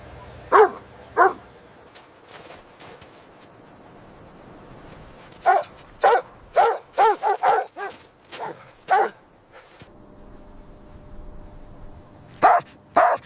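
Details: Puppies having a playful time on fresh green grass; two early barks, a quiet stretch, then a quick volley of about eight barks, and two final barks after a pause.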